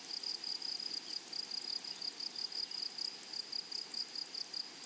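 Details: Grasshoppers singing in a flowering meadow give a bright, high-pitched pulsed trill. Clusters of rapid beats repeat evenly without a break, holding one tone with a faint upper overtone over soft ambient noise.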